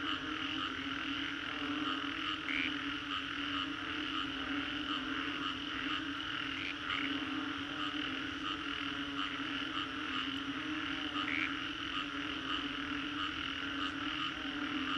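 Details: Post-storm frog chorus from Singapore's Green Corridor, 3D soundscape: constant overlapping croaks and trills form a steady wall of sound, with occasional brighter chirps standing out every few seconds above the drone.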